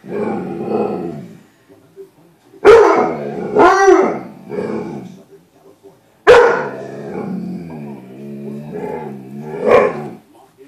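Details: Indoors, the dog Bruce Wayne argues with his reflection in a glass closet door; sharp barks break out twice, separated by grumbling, growly moans and whining, wavering vocal sounds.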